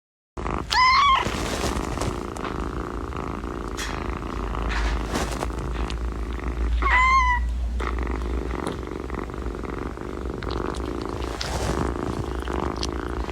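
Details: Domestic cat purring in a steady low rumble throughout, with two brief rising-falling high meows near the start and midway, over faint indoor background noise.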